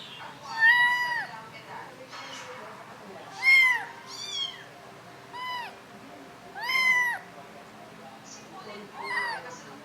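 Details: Kittens mewing in short, high, arched cries, about six separate calls spread unevenly across the stretch, each rising and dipping, with soft room noise between them.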